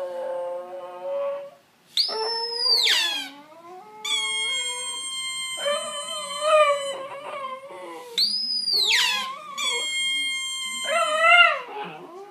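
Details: Singing Italian Greyhound producing a long sequence of howls: two steep arched high wails, long level whines rich in harmonics, and wavering, yodel-like passages that rise and fall in pitch, with short breathy pauses between.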